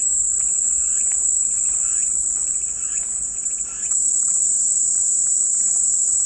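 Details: Cicadas drone continuously in a high, steady buzz with no breaks, briefly softening near the middle before returning to full strength; faint clicks and rustles sit underneath.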